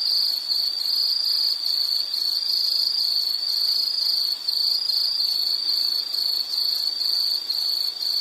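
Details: High, shrill insect trill running steadily for eight seconds, lightly pulsed in a regular beat, with faint higher buzzing insects behind it.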